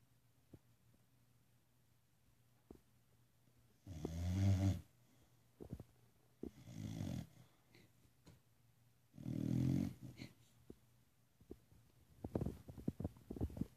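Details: Gertie, a pet dog, snoring indoors: three long, low rumbling snores near seconds 4, 7 and 10, each about a second long, separated by quiet breathing, with a few soft clicks and rustles at the end.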